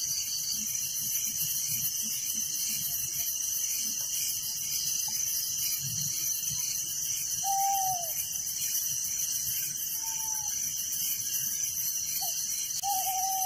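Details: A steady shrill chorus of crickets at night in a village, evenly pulsing throughout, with a few isolated short whistled notes from another animal now and then.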